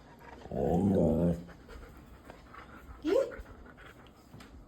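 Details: Siberian Husky giving a rough, grumbling vocalization lasting about a second, followed shortly by a single short rising yip. Faint background noise and human voices surround the sounds.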